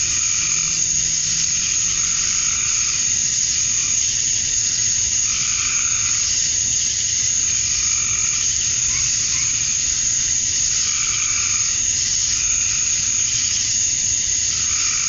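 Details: Summer dusk chorus of male cicadas in Georgia, USA, calling to attract females: a steady shrill hiss-like drone throughout, with softer lower pulsed calls swelling every two to three seconds.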